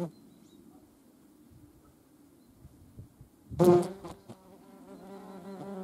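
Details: European hornet, seen with median wasps: faint rustling at first, then a sudden loud bump followed by a low, even flight drone rich in overtones that continues to the end.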